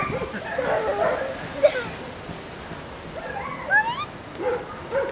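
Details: Hungarian Vizsla puppies, born 6th October, letting out scattered thin whimpers and rising squeals, several short upward-sweeping cries near the end over a quiet background hiss.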